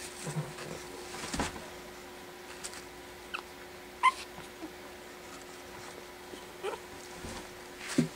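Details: Four-week-old Pekingese puppies, four in a litter, playing indoors after dinner for the first time; a few short, thin squeaks and whimpers rise from a quiet room, widely spaced with soft rustling between.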